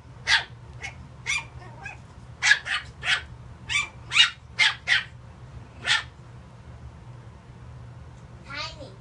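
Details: Small puppy yapping at a seated cat inside a home: a quick run of about eleven shrill barks over six seconds, then a pause and a brief wavering, rising-falling cry at the end.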